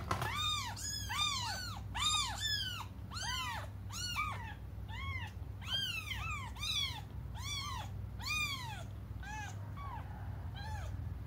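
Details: Several cats cry together as they wait for their mother's return, their rapid overlapping meows tumbling over one another, each call a bright arched wail, fading toward the end over a constant low background hum.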